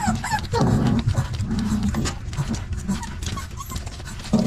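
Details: Hungry puppies fighting over milk: low, buzzy grumbling growls in bursts, brief high whimpers rising and falling, and steady scuffling and snuffling noise underneath throughout.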